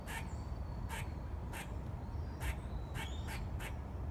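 A squirrel gives short, harsh barking calls about every half second over a steady low rumble.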